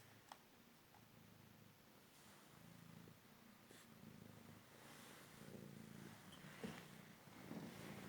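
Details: Male Cymric cat, found injured on the street after a car crash and since recovered, purring while playing fetch indoors; a soft, low, steady rumbling purr with faint pulsing, quiet throughout, with a few light clicks and taps.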